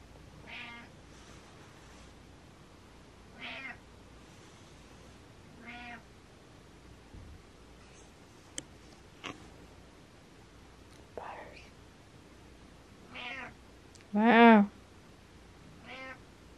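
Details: Butters, a pet cat, meows in response to meowing: a string of about seven short meows spread irregularly, mostly soft, with one much louder, drawn-out cry near the end, and occasional faint clicks and rustles in between.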